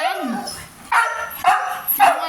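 A Siberian Husky starts with a low, wavering whine that bends upward, then breaks into three rough, talkative yelps about half a second apart. Each burst is raspy and full-throated, typical of the breed's chatty vocalizing.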